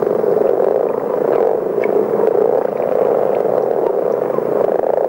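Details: Common frogs, many individuals calling together in a snoring chorus likened to a distant machine's hum or motocross, from a French educational frog and toad tape: a dense, continuous low purring drone with steady loudness throughout, no other sounds.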